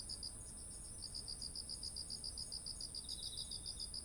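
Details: Autumn insects beside ripe rice fields in Japan, recorded on a ZOOM H1essential: high, even chirps pulse about three times a second over a steady shrill trill. There is a short pause near the start and a softer, lower buzz toward the end.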